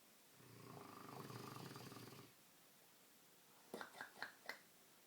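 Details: Milo, a sleeping Dogue de Bordeaux, lets out a long rasping snore with a fluttering, pulsed texture for about two seconds. A quiet pause follows, then a quick run of four sharp clicking snorts.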